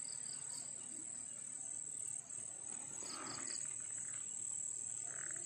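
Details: Crickets still singing at night during the pandemic, in fields of Turi, Sleman: an unbroken high-pitched buzzing drone with clusters of quick chirp pulses, and a few soft lower rustles.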